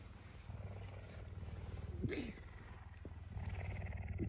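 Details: Messi the puma, a hungry, affectionate pet waking early on a Tuesday for breakfast, keeps up a low, rapid, pulsing purr, interrupted by a short higher squeak and a person's voice.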